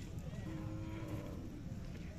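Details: Khillar cattle at a village fair in Kole, Sangola taluka, Solapur district, held 18–22 May 2024, where Khillar young bulls and bullocks are offered for sale; one short, low, steady-toned moo under a murmur of crowd noise.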